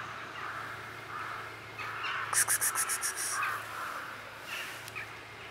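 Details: Blue-eyed kitten found in a basement, giving short mid-pitched meows scattered through the clip, with a rapid burst of sharp clicking pulses in the middle and a steady low hum behind.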